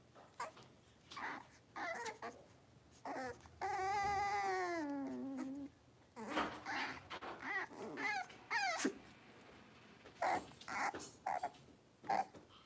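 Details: Five blenheim Cavalier King Charles Spaniel puppies, two females and three males born at New Year, in a home puppy pen. Short yips and whimpers come in bursts, with one long wavering, rising-then-falling whine in the middle.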